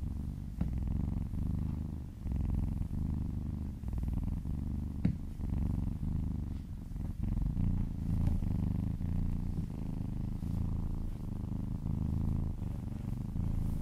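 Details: Purring kittens during a massage, one little female kitten licking down an owner's arm; continuous deep vibrating rumble with rhythmic breath cycles, a faint click near five seconds, otherwise quiet room.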